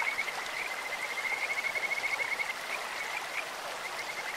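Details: Kajika frog voices rise from a clear stream, sweet like a bird or insect: a long, rapidly pulsed high trill runs through the first half, followed by shorter repeated trills, all over steady flowing-water noise.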